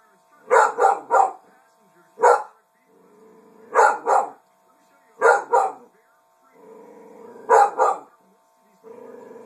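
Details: Female dog barking at her reflection in a mirror, quick bursts of two or three sharp barks separated by low growling whines, repeated several times over a faint background hum.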